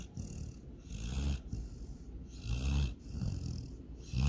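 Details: Sleeping female dog Sydney snores while dreaming she chases a rabbit and swims in a lake: low, rough breaths rise and fall about once a second, with airy hissing between them.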